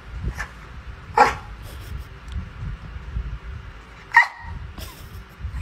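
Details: Pet dog waking up its owner gives two short, sharp barks about three seconds apart, with low rumbling room noise between them.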